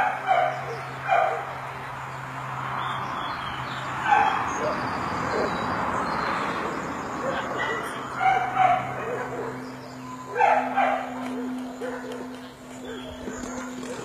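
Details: Pearl, a small female Labrador cross rescue dog waiting for a home in the UK, gives short, sharp barks at irregular intervals, about five or six bursts over the stretch, with a steady low hum running underneath.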